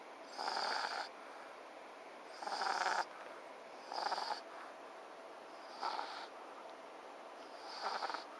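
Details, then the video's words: French Bulldog named FICA asleep, snoring loudly in rhythmic bursts about every two seconds, each a broad rasping snore with a whistling overtone, separated by quiet breathing gaps. "フレンチブルドックのＦＩＣＡ いびきをかいて寝る"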